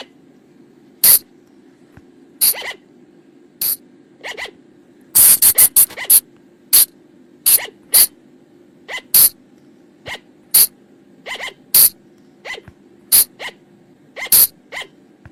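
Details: Forest flying lemur calls used for night luring: crisp, explosive hissy bursts at irregular gaps of about a second, a tight cluster of rapid bursts in the middle, faint low hum behind.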